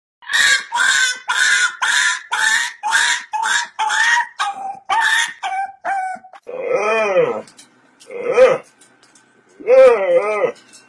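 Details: Dogs making weird sounds indoors: about ten short, harmonic yelping syllables in a quick run, then three drawn-out, wavering whines that rise and fall.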